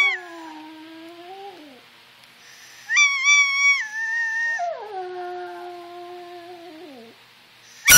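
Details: Pet Yorkshire Terrier Brooke howling in response to squeakers and whistles: a long, level, nasal howl that dips at the end, a high squeaky tone over it, then a second sustained howl pitched higher and ending in a quavering fall.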